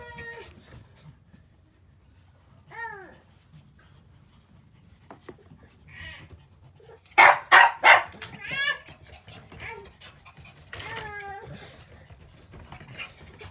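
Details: Puppy indoors in a small room, giving a quick burst of four or five loud, sharp barks midway, with thin, high, falling whines before and after, while a child's voice chatters nearby.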